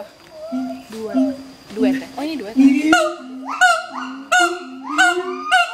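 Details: Duet song of a mated pair of adult siamang gibbons at Schmutzer Primate Center, sung to advertise territory: soft low notes and wavering calls at first, then from three seconds loud barks with rising upper tones over low steady booming notes.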